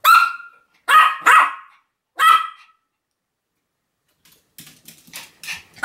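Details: Sam the Pomeranian barking on 7 October 2015: four sharp, high barks in the first two and a half seconds, then quiet, followed by fainter scuffling and short clicks.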